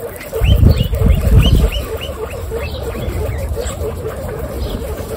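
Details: Female guinea pigs feeding on carrots: loud crunching bites early on, then softer rhythmic nibbling at roughly four per second, with a row of short arched squeaks repeating above the chewing.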